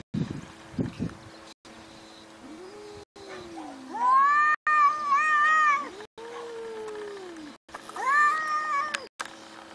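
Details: Cat giving long wavering meows, with lower, softer drawn-out cries sliding downward between them, then a loud rising-and-falling meow near the end; a man's voice follows right after.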